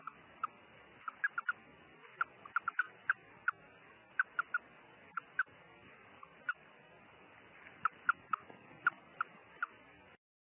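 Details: A male Russian dwarf hamster, being taken out of his cage, gives short, sharp squeaks and clicks at irregular intervals.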